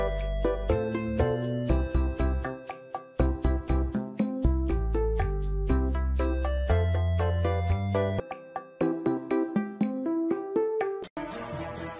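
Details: Bright children's keyboard and piano music with jingling tones plays throughout, ending in a short burst of noise, with no animal sound.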